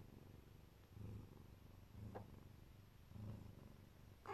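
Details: Low purring from a Siberian (Neva Masquerade) mother cat lovingly protecting her kittens, the rumble rising into stronger bouts about once a second over a quiet background.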